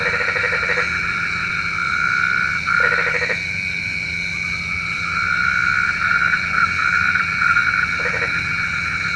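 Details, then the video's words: Nighttime frog chorus, said to be calling the rain: a dense, continuous ringing drone with several higher tones. Rough pulsed croaks break through near the start, at about three seconds, and again near the end. "SUARA KODOK KATAK | Panggil Hujan"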